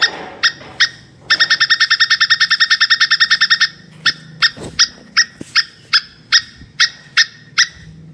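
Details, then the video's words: A plantain squirrel calls while mating. A few sharp chips lead into a long, rapid rattle of clipped notes lasting over two seconds. The notes then break into evenly spaced single chips that gradually slow. "SUARA TUPAI KAWIN"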